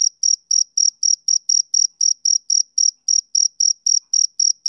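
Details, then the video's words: Shrill, even chirping from a male cricket, about 18 short pulses in under five seconds with slight pauses between a few, in otherwise silent surroundings. "Cricket Chirping Sound Effect"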